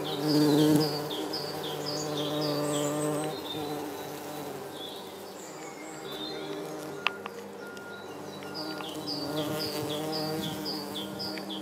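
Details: Red-tailed bumblebee feeding on nectar and gathering pollen at yellow Darwin's barberry flowers: a loud, low, steady buzzing hum for the first three seconds that fades, then returns faintly, with birds chirping and twittering throughout.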